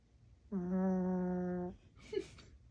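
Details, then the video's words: Snoring from a sleeping pet dog, heard as a single sustained, buzzy hum lasting just over a second, followed by a brief soft snuffling breath in a quiet indoor room. "My dog snoring"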